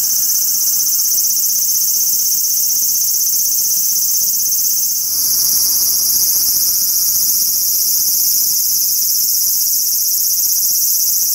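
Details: A large brown cicada (aburazemi) in a cherry tree in a park gives a steady, sizzling, high-pitched buzz that grows louder halfway through.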